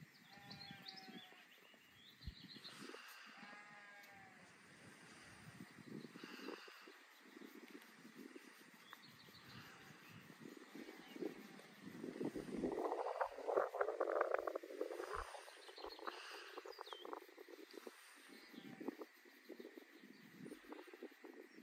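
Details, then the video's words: Pet lamb bleating after being stopped from petting: wavering, nasal bleats repeated in short bursts, with rustling and handling noise between calls. "When you stop petting a lamb!!"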